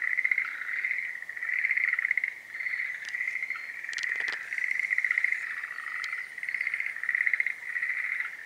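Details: Schlegel's green tree frog in its breeding season, trilled pulsing croaks repeating in roughly one-second bursts throughout, with a few sharp clicks or taps heard in the middle.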